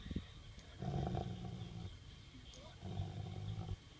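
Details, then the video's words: Female Rottweiler 'purring' as her ball is taken from her mouth, talking rather than growling, not aggressive: two steady low droning rumbles, each about a second long, separated by a pause, with faint human voice in the background. "Rottie Purr"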